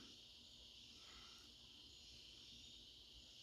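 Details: Crickets at night in autumn in the northeast, a steady dense high-pitched trilling drone that holds without a break, with a faint low rumble underneath and a brief spoken voice.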